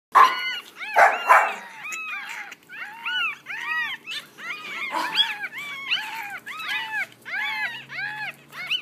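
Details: Six one-week-old Yorkshire Terrier puppies give overlapping high, arched squeaks and whines, rising then falling, in quick irregular bursts with several pups calling at once and a louder cluster near the start.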